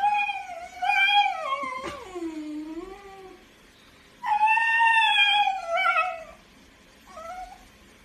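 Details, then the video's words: Basenji, a breed unable to bark properly, making talking yodel and howl sounds: long wavering harmonic wails that swoop up and down, one sliding low then rising, three drawn-out bursts separated by brief silences indoors. "Basenji talking!"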